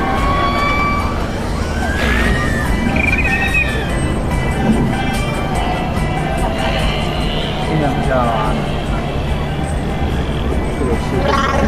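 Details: Killer whales at a SeaWorld marine park show, each pod said to have its own dialect of calls used to communicate; rising and falling whistles and squeals over loud crowd noise and music.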